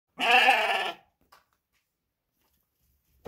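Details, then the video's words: D'man ewe: a single loud, harsh, wavering bleat lasting under a second, followed by near silence with a faint brief sound. "نعجة سلالة الدمان الحرة"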